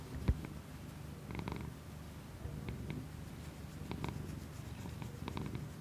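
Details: Pet cat's continuous low purr indoors, recorded with a new external microphone on an iPhone, steady rumbling with occasional soft clicks and light handling noises.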